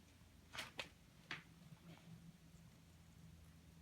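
A rabbit chewing, with a few sharp, crunchy bites over a steady low indoor hum.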